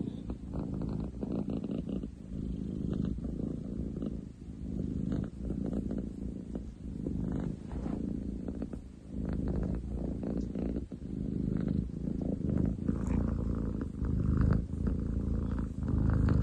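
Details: Extremely loud purring from Ten chan, a male long-legged munchkin cat, filmed 30 July 2023; a low grinding rumble sustained for over sixteen seconds, pulsing with each inhale and exhale, likened to a construction site.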